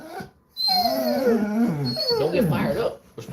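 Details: Basset hound at home on a relaxed Sunday, getting worked up: a loud drawn-out bay-like howl with wavering, falling tones for over two seconds, then a rougher yowling stretch, with a man talking nearby.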